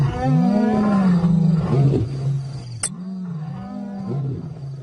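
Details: African lion giving a deep, drawn-out roar that swells and sags in pitch over about two seconds, then a second long, lower rumbling call follows after a brief sharp click.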